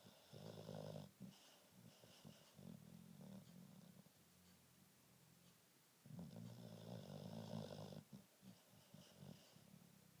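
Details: Pet dog sleeping indoors, snoring with low rumbling breaths, long louder snores around the start and again after six seconds, softer puffs between.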